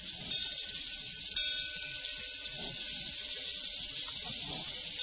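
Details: Prairie crickets keep up a continuous high, hissing trill while a distant cowbell rings as a steady tone, with one brief clank near the start.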